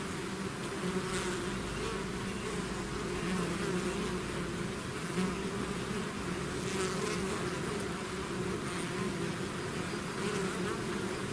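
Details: Natural swarm of bees pouring out of a hive, a thick unbroken buzzing drone at even loudness for eleven seconds, with many overlapping wingbeats forming layered hum bands.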